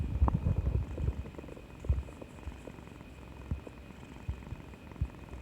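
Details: Pet cat purring while affectionate after getting a vaccination injection: a low, steady rumbling purr with soft irregular pulses, recorded close indoors, with faint stomach-growl-like gurgles.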